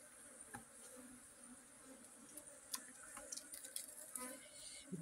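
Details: Honey bee buzzing: a low, steady droning hum that holds for several seconds, with scattered faint ticks, taps and crackling sounds over it.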